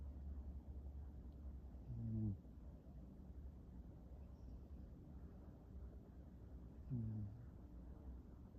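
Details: Two soft, low, rasping snores about five seconds apart from Oliver, a house cat asleep on a couch with a blanket, against a quiet background hum.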